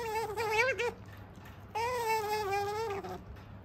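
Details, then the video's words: Sakura, a female otter kept as a pet, vocalizing while eating: two drawn-out, high, steady whines with rich overtones, the first about one second, the second longer and slightly wavering, separated by a short quiet gap. "食事をする３分間「にゃむにゃむ語」で喋り続けながら食べるカワウソ Otter eating while talking continuously"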